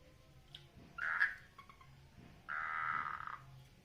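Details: Frogs mating in a water lily pond: two loud, harsh croaking bursts, the first short near one second in and the second held for nearly a second, with faint background noise between.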